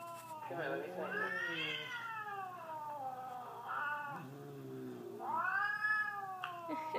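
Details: A Siamese cat reacting to a video of an affectionate cat calls in long, wavering meows that swell upward then slide down, with a short rising cry between them; a person speaks briefly in the background; Siamese cat.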